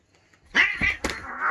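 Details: Two domestic cats at home squabbling after one provokes the other into a fight; a sharp, harsh yowling cry with a second burst, and a person talking over it.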